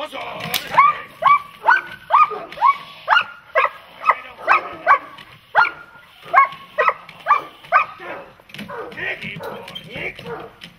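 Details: Protection-training dog, German Shepherd or Malinois, delivers a fast run of loud, even barks, roughly two a second, for about eight seconds before breaking into rougher, noisier barking at the end.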